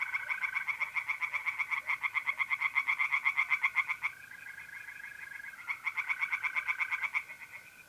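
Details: Singing tree frogs in a pond in North-East Italy, mid-April at night: two long bursts of rapid, grating croaks, about four per second, separated by a pause where only the steady mole cricket trill continues.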